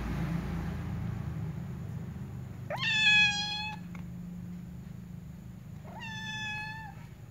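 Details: Two cats, one ginger and one black, at a door; two clear, long meows, each rising quickly then held level with rich harmonics, about three seconds apart, over a steady low indoor hum.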